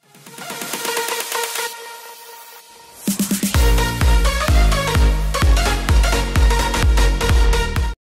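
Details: Electronic dance music with a sustained synth opening, a brief pause, then a heavy, steady beat and bright layered synth chords; no animal sound is heard.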